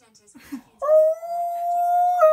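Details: Husky/Malamute named Key singing to TV adverts: brief muffled sounds, then a steady drawn-out tonal howl held for well over a second.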